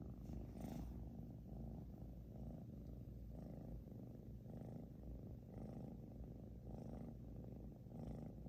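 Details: British Shorthair cat named 小乖 snoring loudly indoors: deep, rumbling, low-pitched breaths repeat steadily about every second, each swelling and fading in a rhythmic cycle, with no other clear sounds.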